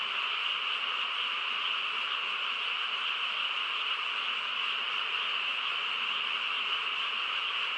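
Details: Frog chorus on a quiet countryside night: a dense, unbroken wall of overlapping calls, steady and even throughout, with the strongest bands high and bright and a fainter layer below, no pauses or single voices standing out.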